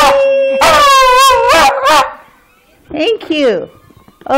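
A Schipperke sings in high, wavering howls, then slides down in short falling yelps.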